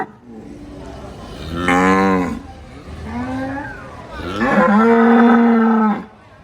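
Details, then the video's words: Cow with short, grunting low calls that build into a long, loud, steady moo of about two seconds before it stops abruptly. "Suara Sapi MOO || Cow MOO Sound Effect"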